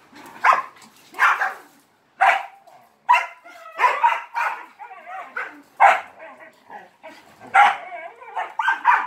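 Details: Dog barking repeatedly for attention during play with three Malinois; loud, harsh barks come about every second, some doubled, with short yelping notes between them.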